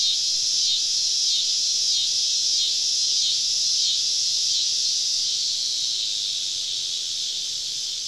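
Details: Cicadas surrounding a camp deep in the woods on a southern summer evening: a loud, high, steady buzzing chorus with faint rhythmic wavering, holding level before softening slightly near the end.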